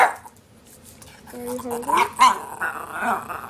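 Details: Norwich Terrier, the red 'talking' Twizzler kept with Twix, vocalizing to ask for lunch; a short wavering moan with rising and bending pitch, set among a woman's questioning speech.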